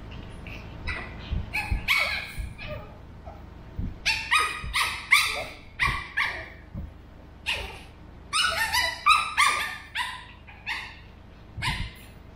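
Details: Burrito, a 13-week-old male Pug puppy, trades sounds with Vanta, a two-year-old female mixed Shih Tzu. Short high yappy barks come in rapid bursts, several clustered groups over about twelve seconds, with brief pauses between volleys.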